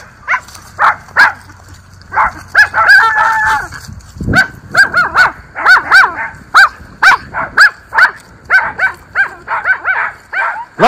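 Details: Miniature Schnauzer brothers in their yard in Aroostook County, Maine, on an October day, barking at the neighbours: sharp, high yapping barks in rapid irregular runs, about two per second, with a brief thump midway.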